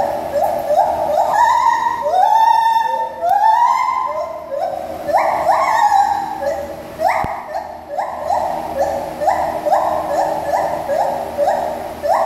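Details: A mated pair of white-handed gibbons (Hylobates lar) at a zoo sing their song: loud, pure, hooting notes that swoop upward, repeated in a rhythmic series.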